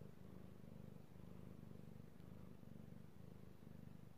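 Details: Pet cat Io purring under petting, recorded 16 March 2018; rapid, steady low rumble broken into short rhythmic pulses, each breath-cycle about half a second, nothing else audible.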